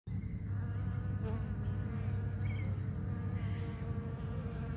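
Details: Bees collecting sap from a pepper tree's bark fill the air with a steady, low droning buzz that holds without pause.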